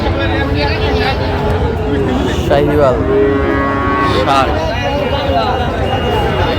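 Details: Market scene in Tangail, Bangladesh, 16 October, with Sahiwal bull calves for sale: several overlapping lowing calls, some wavering and bending in pitch, sound over loud human chatter and a busy crowd.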